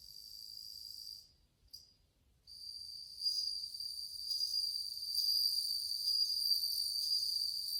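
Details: Many bell crickets singing in August 2020: high, bell-like ringing chirps that break off twice briefly, then resume as a fuller, louder continuous trill layered with bright overtones.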